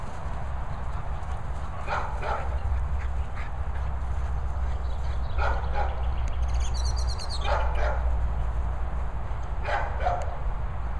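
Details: Dog barks from a German Shepherd named Nala's outing with Brian: short, sharp bursts, sometimes in pairs, at scattered moments across the stretch, set against a constant low rumble like wind or handling noise.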